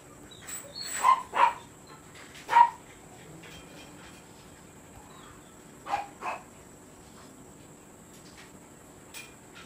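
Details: Kennel-kept Siberian Husky used for stud service: a quick cluster of three clipped barks, a pause of several seconds, then two more close together against a quiet hum.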